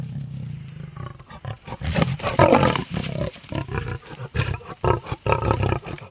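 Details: Roaring big cats with Christmas presents: a steady low rumble builds into a loud, harsh roar, then continues as a series of throaty, pulsing growls.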